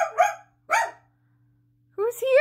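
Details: Indoors, family dog Daisy demands to leave a bedroom as someone returns from work. Two separate sharp barks about half a second apart, then a human voice talking over the room hum.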